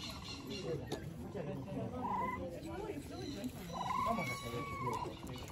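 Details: Capybara giving high, clear whistled squeaks: a brief one near the two-second mark, then a longer, slightly arched whistle held for about a second, over a steady murmuring background with faint voices.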